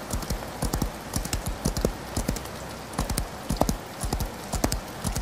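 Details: Hooves of a galloping horse beat in quick triplet-like clusters during rain, the thuds strong and low, set against an even wash of rainfall noise.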